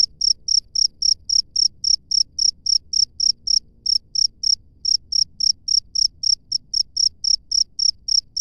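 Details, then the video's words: Insistent high chirps from a cricket out in natural surroundings, repeated roughly every quarter second with one short gap midway; no other clear sounds beyond soft low-frequency background. "SUARA JANGKRIK LANGSUNG DARI ALAM BEBAS"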